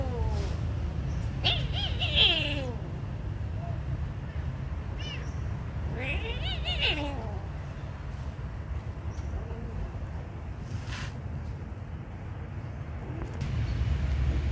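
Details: Kitten being fed lets out a few thin, rising-falling mews early on, then quieter stretches with clicks and low rumbling noise, a brief burst of sound near the end.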